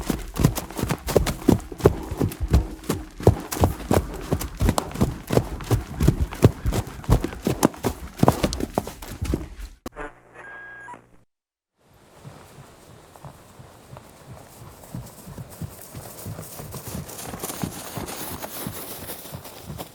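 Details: Running horse: heavy, rapid hoof thuds for about ten seconds, then a brief tonal sound and a short silence, followed by a softer, hissy stretch with faint, distant hoof strikes.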